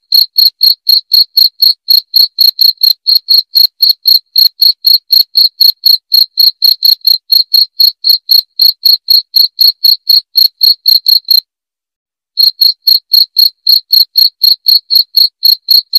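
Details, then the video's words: Cricket chirping, played to repel rats: loud, clear high-pitched chirps repeated about four times a second in a steady pulsing rhythm, with a brief pause near the end, no other sounds. "SUARA JANGKRIK PENGUSIR TIKUS"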